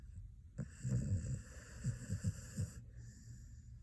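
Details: Sleeping Xoloitzcuintle snoring softly: low, rough snorting breaths in short bursts, about two clusters across a few seconds, while a steady high electronic hum runs through the middle of the recording.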